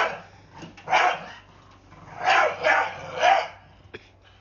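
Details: A blue Staffordshire Bull Terrier, scared of a broom, scolds it with barking: one harsh bark, then a rapid run of three rough barks. A faint click follows near the end.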